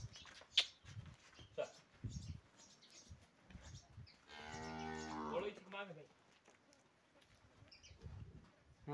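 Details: A sold cow gives a single drawn-out harmonic moo of under two seconds amid scattered knocks, rustling and background farm noise.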